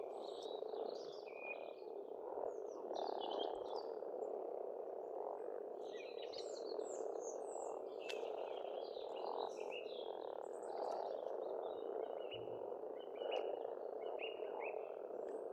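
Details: Spring frog chorus at a pond on a farmstead in Estonia: a dense, unbroken croaking drone fills the background while many songbirds chirp and whistle brightly above it throughout.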